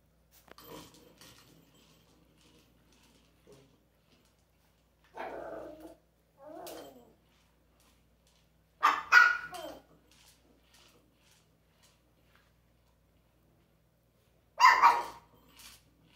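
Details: Domestic dog with an interactive toy barking in sparse bursts: a pair of barks midway, a louder double bark, then a final sharp bark near the end, with silence between.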